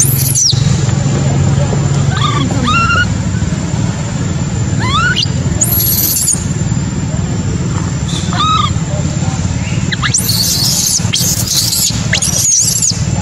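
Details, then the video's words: Baby monkey abandoned by its mother, a macaque, cries intermittently: a few wavering tonal coos with harmonics, brief sharp squeals, then a cluster of piercing screams near the end, all against constant low-pitched outdoor rumble. "Poor baby monkey was abandoned by mother monkey, crying heartbreakingly"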